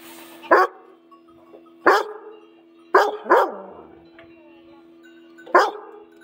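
A Weimaraner gives loud, deep single barks at uneven intervals over a faint steady hum.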